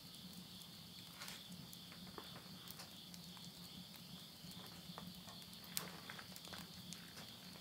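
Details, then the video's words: Insects at midnight in the countryside of Yurihama, Tottori, Japan, late summer, September 2020, near a wood stove: a steady high shimmering chorus runs throughout, with frequent crackles and pops of burning wood and a low rumble. "mid night the voice of insects"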